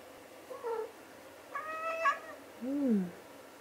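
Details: Domestic cat meowing indoors on a snowy January day while a brown-eared bulbul sits outside in the falling snow; short harmonic meows, a brief one, a longer wavering one, then a low falling final meow.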